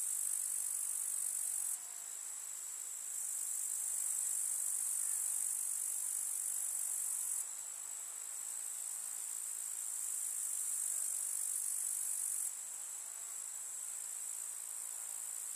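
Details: A rural summer meadow with grasshoppers chirping constantly: a thin, piercing insect trill sustained throughout, stepping up and down in loudness several times.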